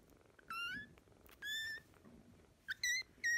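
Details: Kittens from a pair of sisters fostered in spring 2017 give high, thin mews, three short harmonic cries with a fourth beginning at the end, each falling slightly, over a quiet indoor background.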